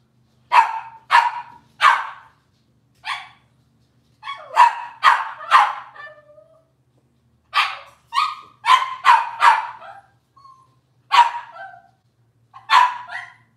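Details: Cavalier King Charles Spaniel puppies from Robin's litter, indoors on a kitchen livestream: a lively run of sharp, high yapping barks in quick bursts, some doubled or tripled, separated by short pauses, with a faint low hum behind.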